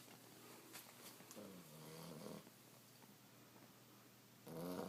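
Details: Sleeping Australian Shepherd puppy snoring softly indoors: two low, rasping snore breaths, the second louder near the end, with quiet room hiss between.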